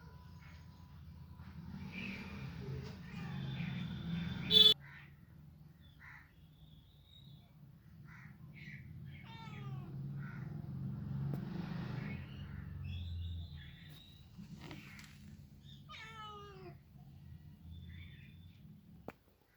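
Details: Several high, short rising meows from cats or kittens scattered across the recording, some in quick stepped runs, over a steady low hum; a sharp knock near the start.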